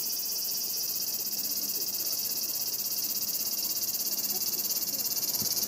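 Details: Cicada singing in Japanese summer heat, reportedly over 120 dB, captured on a Panasonic Lumix camera: a very high, shrill buzz pulsing rapidly and regularly, several throbs per second, steady and relentless across the recording.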